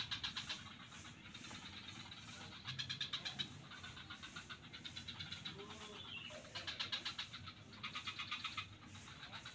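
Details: Swamp frogs at Kuta beach, Bali, give quick ratcheting pulse trains in short bouts, several overlapping voices trading off, plus a brief rising whistle-like note amid continuous low rumbling background.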